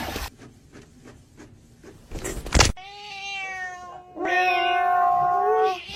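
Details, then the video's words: Pet cat producing two long, loud, wavering meows back to back, the second stretched out and slightly rising, after a stretch of soft rustling and tapping sounds. "Kitten meowing"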